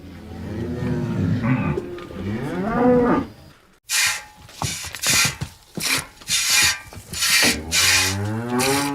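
A cow gives a long, low moo that swells and bends in pitch, followed by a run of harsh rasping bursts and the start of another low moo.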